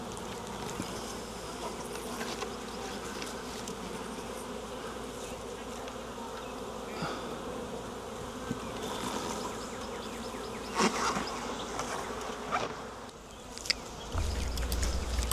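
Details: A wild honey bee swarm hanging from a tree branch being collected into a nuc box, a dense continuous low buzzing hum with brief louder passes of individual bees near the end.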